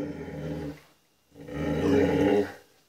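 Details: Penny, a female puppy facing her reflection in a walk-in closet mirror: two rumbling, sustained growls, the second longer and rising in intensity, separated by a brief pause.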